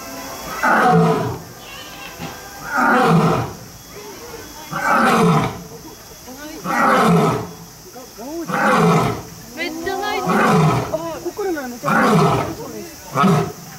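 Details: At Kyoto City Zoo in Japan, a captive lion or tiger roars in drawn-out, falling, throaty bursts, seven in fourteen seconds, each about a second long, with faint human voices mixed in.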